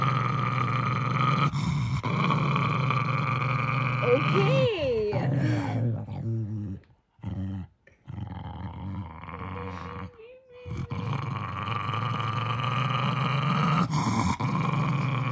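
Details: Henry, a Jack Russell Terrier, growls while guarding his beloved stuffed monkey: a steady, rumbling low growl that runs almost the whole time, broken by a woman's voice midway and two brief silences.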